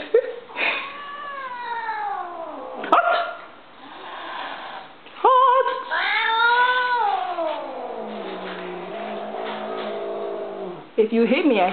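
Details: Domestic female cat whose mood turns when she hears a noise she dislikes; long drawn-out yowls slide downward in pitch, with several sustained wails and a sharp sound cutting in between them.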